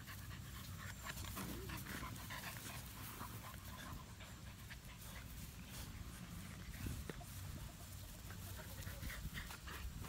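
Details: American Bully puppies from summer 2017 litters keep busy together in a playpen, only two of them littermates; steady breathy panting runs throughout as a continuous rough hiss, with occasional scuffling knocks from the playing pups.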